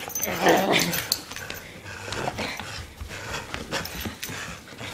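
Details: A pet dog named Lewis growls while playing tug of war. A loud, rough burst near the start is followed by softer, scratchy rumbles and noisy rustling through the rest.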